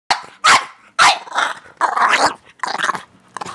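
A French Bulldog gives harsh, gravelly growls and snorting barks in short bursts during rough play.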